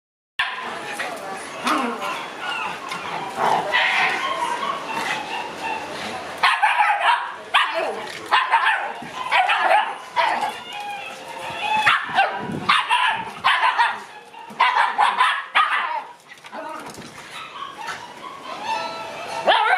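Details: Shiba Inu puppies born in June romping wildly in an exercise yard; short high yips and barks come in bursts, mixed with voices and clattering play noise throughout.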